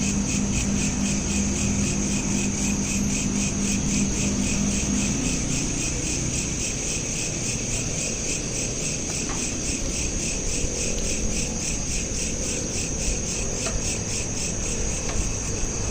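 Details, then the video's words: Crickets chirping at night, recorded on a smartphone: a dense, steady high pulsing trill repeated rapidly and continuously, with a low rumble of background noise underneath and a faint tonal hum early on. "Night Lamp Ambience with Crickets"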